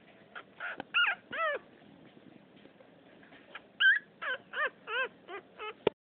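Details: Chubbiest female French Poodle puppy of the second litter, pouting: high, nasal whines with arched, bending pitch, a few early bursts, then a quick run of six short whimpers near the end, over a quiet room.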